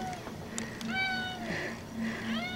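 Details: Male pet cat indoors howling at the door as its owner returns, said to miss the owner while away: a quick run of drawn-out, rich, slightly falling meows, about four in under three seconds, with the owner speaking softly nearby.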